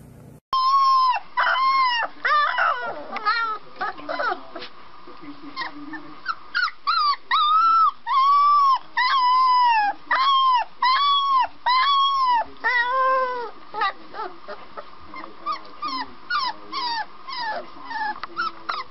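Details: Puppy learning to bark gives a long series of high, arched, tonal yelps and howl-like cries, each rising then falling, repeated in quick uneven bursts, with a few rougher notes early on.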